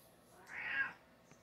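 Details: House cat in a quiet room utters one brief, soft meow lasting about half a second, swelling and fading, with a faint tap afterward.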